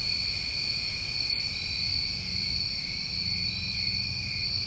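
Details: Crickets on a New England summer night, an unbroken shrill trilling drone held at steady high pitches throughout, over soft low background noise.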